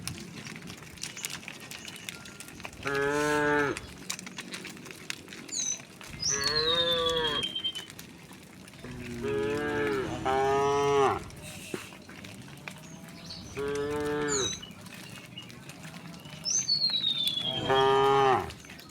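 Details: In the morning sun, a herd of cows and oxen walking toward green countryside grazing fields low in turn. Each drawn-out, rich, nasal moo lasts about a second and comes every three to four seconds, with a faint whistle-like sound behind.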